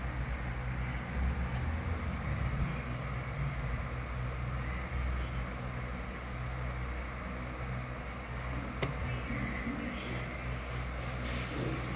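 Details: Constant low droning hum of a vehicle or air conditioner, with a sharp click near the end and no animal calls.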